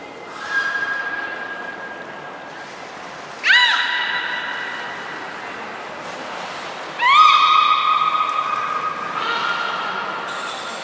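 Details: Captive beluga Hodoi during a 6 January 2019 training session at Port of Nagoya Public Aquarium for stomach fluid and blood sampling. Several separate harmonic tonal calls, some with a slight upward sweep, alternate with short high whistle blasts.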